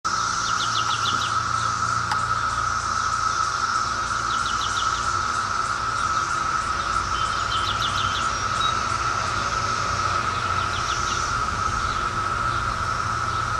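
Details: Brood X cicadas from the 2004 emergence, recorded close up: a steady, unbroken droning chorus holds one pitch throughout, with scattered bird chirps above it.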